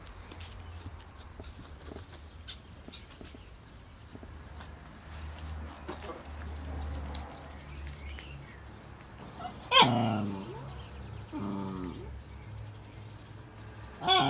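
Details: Cairn Terrier puppies recorded 12 June 2012, born 25 April 2012: after quiet rustling and a low hum, a sharp loud yelp bursts out, then a shorter wavering whine and a final abrupt yelp at the end.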